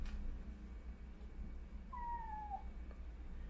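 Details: A young calico (tricolor tabby) kitten, born April 2021, climbed up high indoors, gives one short, thin meow sliding downward in pitch over a low indoor hum, whining as if for help getting down.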